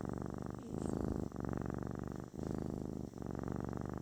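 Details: A kitten's therapeutic purr, deep and vibrating, running in sustained rumbling stretches broken by short pauses roughly every second, with no other sounds.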